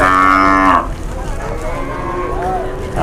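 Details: A big market cow gives a loud, steady moo lasting under a second, then fades into quieter background lowing and crowd noise.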